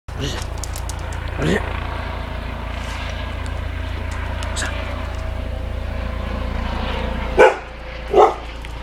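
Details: Pet dog barking at a police helicopter: two sharp, loud barks near the end, preceded by one fainter bark, over a constant low rotor drone and a voice talking.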